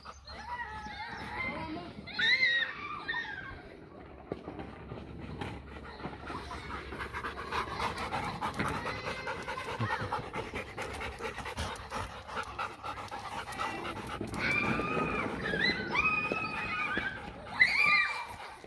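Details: German Shepherd and Labrador cross dog at playtime with its owner, panting steadily through the clip with breathy rhythmic huffs, a few short whiny vocal bursts near the start and end, and human voices mixed in.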